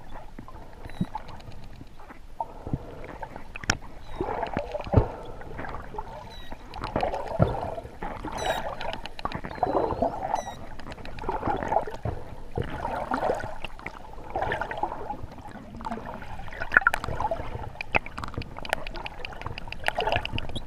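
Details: Wild dolphins recorded underwater on a sunny day, 12 November 2014, with water at 25°C, chatter with high sweeping whistles and sharp clicks over a murmuring, bubbly background.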